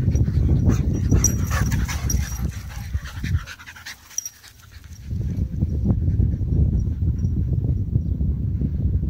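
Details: Two dogs at play, a 7-month-old French Bulldog and an 11-month-old German Shorthaired Pointer; heavy, rapid panting and snorting with low scuffling, a brief quieter lull near the middle, then steady panting returns.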